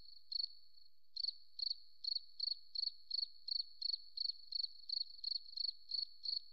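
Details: High, pulsed cricket chirps in a forest, beginning with a single burst and a pause before settling into a regular rhythm of about three chirps per second over a faint steady hum.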